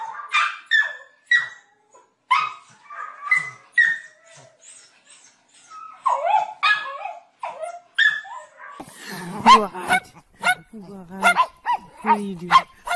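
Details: A domestic dog gives short, sharp barks in quick bursts, some with a whining, yelping edge.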